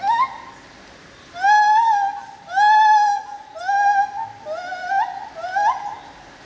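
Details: Lar gibbon in the Opole zoo, Poland, giving long, pure, drawn-out hoots that hold level or sag slightly. Several follow one another about once a second, and the last ones end with quick upward flicks.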